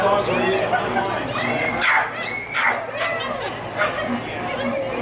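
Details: Rhodesian Ridgeback puppy, 4 1/4 months old, at a lure coursing event, giving a few sharp, harmonic barks and yips around the middle of the clip, mixed with people talking and a loudspeaker announcement outdoors.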